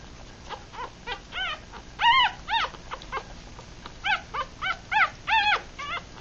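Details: Three-day-old mixed Rat Terrier and Chihuahua puppies, part of a litter of six, eyes closed and feeding; soft whimpers building to louder arched squeals, irregular bursts of several in a row, with quiet shuffling between.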